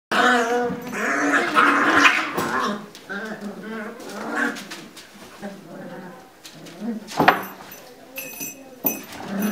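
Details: Lagotto Romagnolo puppies scuffling in their puppy pen indoors: overlapping high, wavering yelps and whiny growls in quick irregular bursts, loudest in the first three seconds, then softer squeals with a few sharp clicks near the end.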